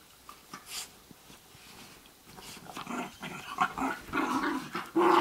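A Basenji makes rough, growly play noises and short yodel-like yelps that swell in the closing seconds.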